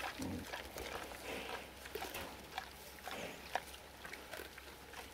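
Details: Wild boars at Erős-oldal: soft, rough grunting and snuffling low in the mix, with scattered brief rustles and clicks over a quiet outdoor background.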